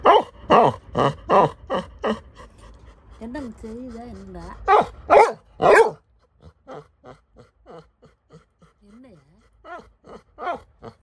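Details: Scared Labrador Retriever puppy named Little John crying: a run of short, sharp yelps, then a long wavering whine, more clipped yelps and a bending whimper near the end, in a quiet room.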